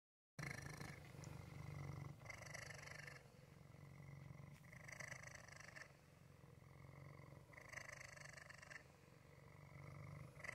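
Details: Waffle, a male pet cat, purring: a steady low rumbling drone that swells into louder, brighter phases about every three seconds, like slow breaths in and out, with no other sounds.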